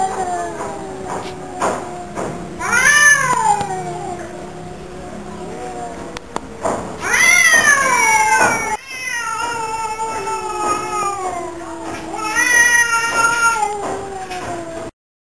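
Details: Duet from Mr. Brown and Mr. Black, a pair of pet cats. Long, mournful yowls overlap and repeat in swells, each climbing steeply before slowly sliding down, with light clicks and bumps between.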